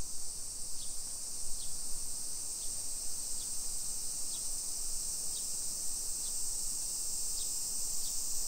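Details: Cicadas in summer in a modern hillside neighbourhood of Nisshin, Aichi, Japan, early afternoon of 28 July 2021: an unbroken, shrill, high buzzing wall with brief ticking notes repeating about every second on top.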